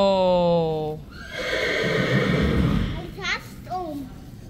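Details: Friesian horses at a stable keeping about 25 horses; a steady tone opens, then a short, quavering whinny rises and falls, mixed with people talking.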